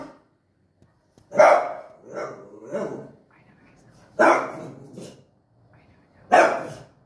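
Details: French Bulldog barking at its own reflection in front of a mirror; short sharp barks in a loose burst around 1.5 to 3 seconds, then two more single barks, with a person's voice mixed in.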